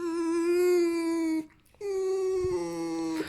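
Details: Alf, a tame fox, squeaks for attention and petting while wagging his tail. He gives two long, sustained whining squeaks at an even pitch, rich in overtones, with a short gap between them. A faint low hum lies underneath.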